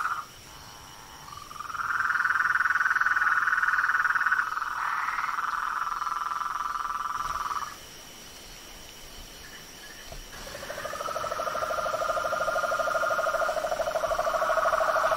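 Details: Frogs, toads and tree frogs outdoors: a long, rapid, steady trill swells up, holds for several seconds, breaks off, then a second lower rattling trill rises in over quiet background hiss.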